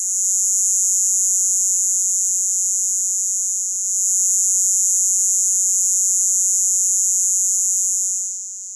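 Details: Robust conehead (Neoconocephalus robustus), a katydid common in Illinois and the Midwest, gives a continuous, extraordinarily loud, steady buzz that hardly varies, slightly lower in frequency than the round-tipped conehead's buzz; song.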